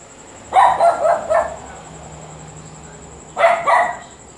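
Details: A dog named Luphe barks heavily: a cluster of three or four hoarse barks, a quiet gap of nearly two seconds, then a tighter pair of barks. A thin constant high-pitched tone runs underneath.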